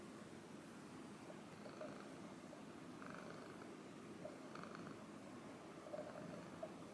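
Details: Female Ragdoll cat, brushed during her breakfast, gives a quiet, even purr as a constant low rumble, joined by light brushing strokes and occasional soft eating clicks.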